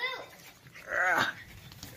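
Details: Bull Terrier whimpering indoors: one short, high, whining cry with stacked overtones near the middle, with quiet human talk around it.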